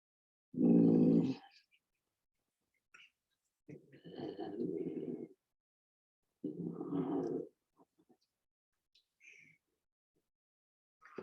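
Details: Two Canada lynx give low, drawn-out moaning yowls, their breeding-season mating calls, recorded on a phone right behind the Eagle River Nature Center in Alaska; a person shushing a dog is heard at first.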